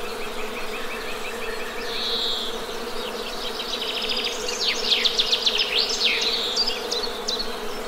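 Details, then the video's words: Honey bees hum in a constant, level buzz beneath a chorus of birds, which begin with soft repeated chirps and swell into rapid, loud trilled phrases toward the end. "Best Honey Bee Sound!"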